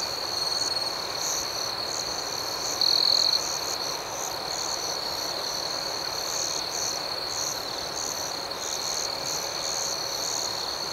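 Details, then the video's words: Nighttime cricket chorus outdoors: a constant shrill, high ringing hum of chirps, with one brief louder trill rising above the steady background near the middle, softer pulsed chirping layered higher up. "Soothing Cricket Sounds"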